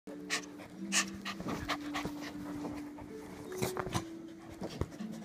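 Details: Rosie, a 7-month-old female Toy Fox Terrier puppy in a foster home, playing with the resident dogs: quick panting breaths over low, steady growl-like tones that shift in pitch, with sharp clicks and scuffling throughout.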